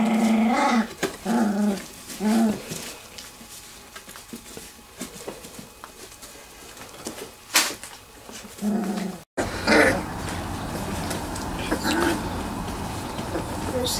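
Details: Bluestem Kennels Wirehaired Pointing Griffon puppies aged three weeks playing in a garage whelping box; a few short growls and whines early on, then mostly rustling, a cut, and broader noisy background.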